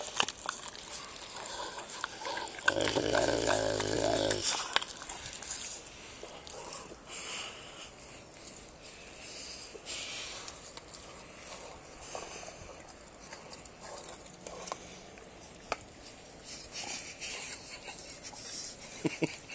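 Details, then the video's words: Dogue de Bordeaux busy with a pig's ear: a low, rumbling growl lasting about two seconds near the start, followed by quieter wet chewing, snuffling and biting noises. "Dogue de Bordeaux Vs pigs ear"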